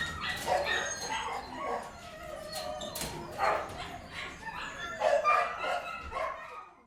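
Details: Kennel dogs barking and yipping at moderate volume, with overlapping voices, reverberant and steady throughout, and a few sharper barks standing out near the start and end.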